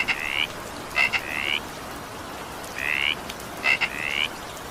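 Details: Frog calling during evening rain: short rising two-part notes repeated in bursts about once a second, with faint steady rain hiss underneath.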